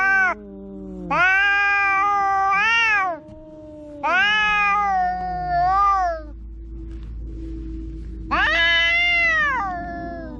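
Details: Cat noisily meowing in long, bending wails, three drawn-out cries and a fourth starting near the end, separated by brief quiet gaps with a faint hum.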